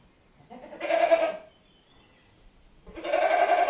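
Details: Goat uttering two drawn-out, slightly hoarse bleats about two seconds apart, each rising in loudness then fading, with near silence between them.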